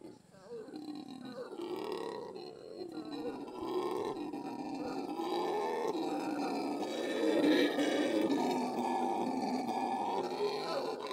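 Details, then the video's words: Monkeys vocalizing together in a dense, continuous chorus of low, droning wails that swell and sustain, with overlapping voices rising in intensity toward the end and no clear pauses. "Monkey Asmr (sounds only)"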